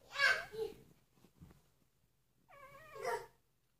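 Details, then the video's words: Three-day-old puppies give two brief, shrill squeals with a short shuffling gap between them. The second cry wavers up and down. "3 day old puppies"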